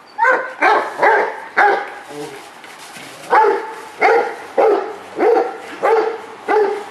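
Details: Rottweiler Multi CH Jero Vom Haus Nagy, excited over his ball, barks in a steady string of about ten rough, throaty woofs, less than a second apart, after a brief pause early on.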